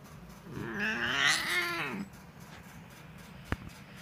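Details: Pet cat named Simba gives a single drawn-out meow lasting about one and a half seconds, its pitch climbing then sliding back down. A quiet indoor room follows, broken by one sharp click near the end.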